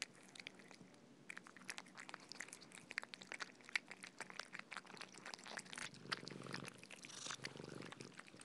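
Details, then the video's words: Indoor feeding of cats on soft food, steady wet chewing and lapping clicks, growing busier and louder toward the end with a short rustling, breathy stretch. "Cats eating Soft Food ASMR - Feeding Cats - Cat Eating Sound"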